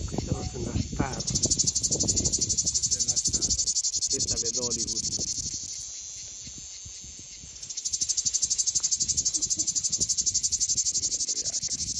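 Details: High, pulsing cicada buzz at about four beats per second, fading to a quiet pause midway before starting again at full strength, with occasional Italian talking in the background.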